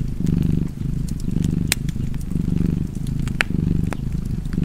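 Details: Low, throbbing cat purr by a fireplace, rising and falling in even breathing cycles, punctuated by a few loud wood-fire cracks.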